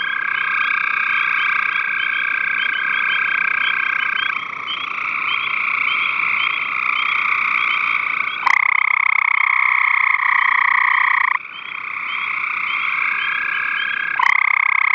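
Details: Gray tree frogs vocalizing on 5/7/13, a steady chorus of buzzy trills layered in several bands, interrupted by two sharp clicks and a sudden louder, closer trill midway.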